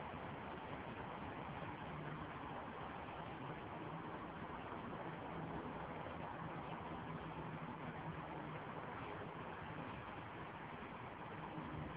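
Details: A constant low rumble of a running car or engine fills the recording, with muffled hints of speech and no animal sounds.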